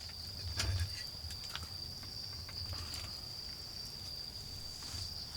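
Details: Autumn insects keep up a sustained high ringing trill by a garden bonfire, while loud snaps and pops of the fire and a low rumble of distant cars sit beneath the call.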